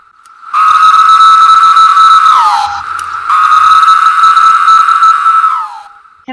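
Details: A 17-year cicada, heard in summer, sings two sustained, harsh buzzing notes about two seconds each, steady in pitch then dropping away in a downward slur, a sound likened to screaming.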